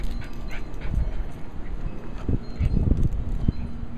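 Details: Cairn Terrier named Abby, a pet dog, playing with her ball; low, breathy bursts come in a quick uneven run in the second half, over steady low background rumble.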